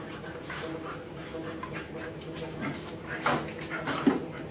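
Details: Three pet dogs, one a puppy, playing in a house. Panting and short whimpering yelps come in bursts, the loudest near the end. A woman speaks to them in the background.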